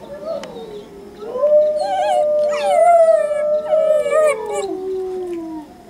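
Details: Young Saarloos Wolfdog pup at home, not yet settled in, howling along with wolves in June 2012; long wavering howls sliding up then slowly falling, several voices overlapping with higher tremulous notes above.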